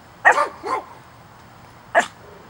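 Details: Chihuahua on watchdog lookout letting out a quick double bark, the second lower and more drawn, then a single sharp bark after a pause of over a second.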